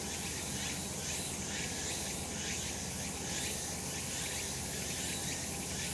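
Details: Cicadas on a summer mountain in the sun: an even, hissing high buzz with slow swells of intensity over the whole stretch and a steady low background rumble.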